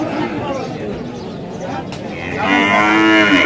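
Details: Dairy heifer calves of improved breeds at a cattle market selling Sindhi and Jersey calves, recorded 30 September 2018; crowd murmur and bargaining talk, then a loud, rich, harmonic moo swells in and holds through the final second.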